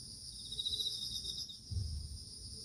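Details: Crickets in an autumn mini garden: a steady high shimmering drone, with a brief rapid trill standing out midway and some low rumble beneath.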